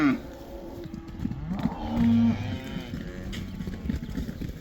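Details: Black cattle in the Netherlands being let back into the pasture for the cow dance, or koeiendans: overlapping low lowing moos, one louder drawn-out moo around the middle, with busy background farmyard noise.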